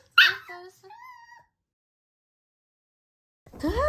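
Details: Puppy drinking milk for the first time: a short series of thin, high whimpers and yips with gliding, falling tones over about one and a half seconds, then silence before another rising whine-like sound.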